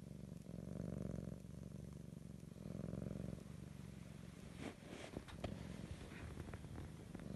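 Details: Sleeping grey-and-white female house cat gives a deep, steady purr that rises and falls with her breathing for about three seconds, then fades under soft clicks and rustling.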